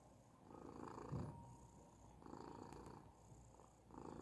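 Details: Persian cat purring indoors, a soft low rumbling drone that swells and fades in slow breathing cycles about once a second, with faint higher rasping at each swell.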